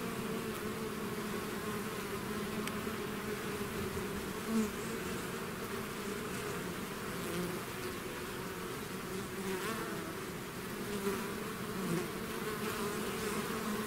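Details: Steady humming of a bee swarm out of its hive, a dense low drone punctuated by a few close fly-bys that briefly rise above the mass of wingbeats.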